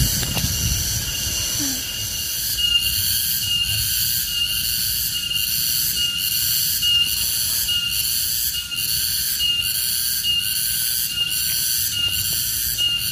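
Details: A Garengpung (tonggeret) cicada, possibly wild, gives a shrill, steady metallic buzz, pulsing slightly about once a second.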